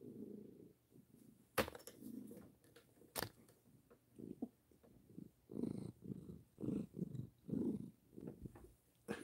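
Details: A male Maine Coon cat purrs very loudly while having his chin scratched, a deep, engine-like throb of steady rising and falling pulses, with a couple of sharp handling knocks early on.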